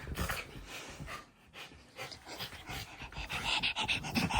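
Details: Puppy panting rapidly indoors, quick breathy huffs of about three or four per second with uneven rhythm and broad hissing texture throughout.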